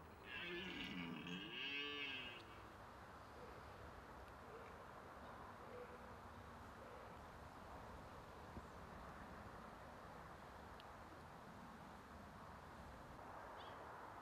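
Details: Red deer in the rut at the end of September: a single deep, groaning roar lasting about two seconds, bending up and down in pitch, then quiet outdoor background hiss for the rest of the clip.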